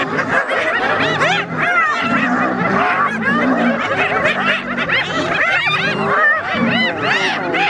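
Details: Spotted hyenas teasing a lion to steal its food; a loud, crowded mix of looping cackles and rising squeals continues without pause, over repeated low rumbling growls.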